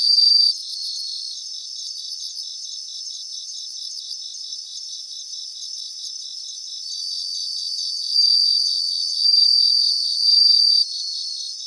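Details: Many bell crickets in a Japanese grassland keep up a high, tinkling pulsed chorus; a loud ringing trill opens, the texture stays soft and steady, then several brighter ringing bursts return near the end.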